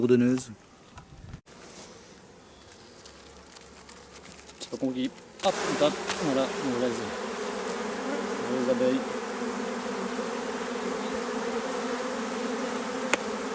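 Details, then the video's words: Honey bees from a drone-laying hive with laying workers, frames shaken about fifty metres from the apiary: a quiet, faintly murmuring start, then from about five seconds a loud, steady, low droning hum that fills the rest. "Ruche bourdonneuse"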